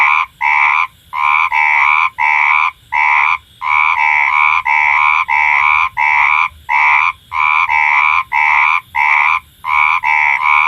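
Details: Four frogs in a night chorus: rapid, throaty, nasal croaks of even pitch, about two per second in short runs separated by brief pauses.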